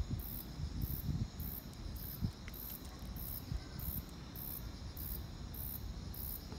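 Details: Crickets on a quiet autumn evening. High, pulsed chirps repeat steadily about every half second, roughly eleven bursts in all. They sit above a constant fainter insect hum and a low background rumble.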